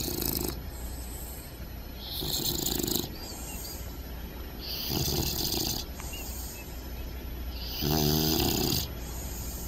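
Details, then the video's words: Puppies asleep and snoring loudly: four rough, throaty inhalations come roughly every two to three seconds, the last one deeper with a buzzing vibrato, quiet hiss in the gaps. "Cute And Funny Snoring Puppies Compilation!"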